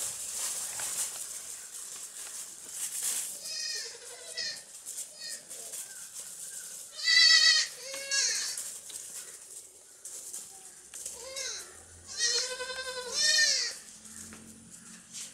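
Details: Baby goats playing and jumping on a farm give several short, high, wavering bleats, some in quick pairs, spaced irregularly between quieter rustling and handling noise.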